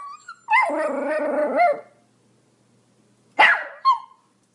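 A Pomeranian gives a drawn-out, yowling bark, then two sharp, high yaps after a pause.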